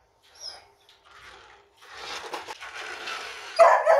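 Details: Doodle, a small beagle puppy wary of a remote control car, lets out a couple of abrupt barks at the close, following soft rustling and faint background murmurs.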